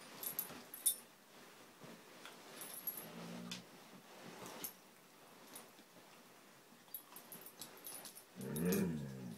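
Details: Two Siberian Husky puppies, Angel at five months and Riley at three months, play fighting: soft scuffling and faint whimpers, a short low growl near three seconds, then a louder, rougher growling burst just before the end.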